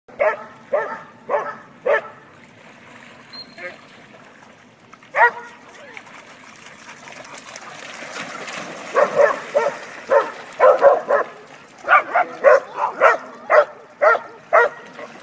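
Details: Pack of about eight dogs having fun in a river, barking in bursts of sharp, harmonic woofs, a quick run at the start, then a denser, livelier series in the second half, with splashing, rushing water and some voices in between.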